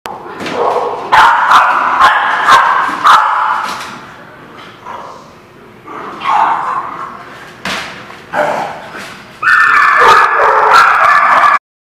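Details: Dogs barking at a lot on 27 February 2017: loud, harsh barks in rapid overlapping bursts, some drawn out and whining, with short quieter gaps between volleys.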